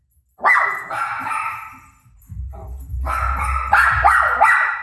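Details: Pet dog Rosie barking at her barking self on TV: a drawn-out loud bark, then a burst of rapid barks over low television rumble.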